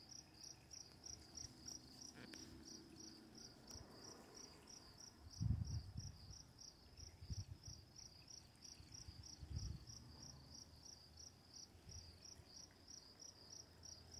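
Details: Night crickets near running water, with quiet lightning in the dark: rapid, evenly spaced high chirps run continuously, about three a second, while soft low thuds and rushing water swell around the middle.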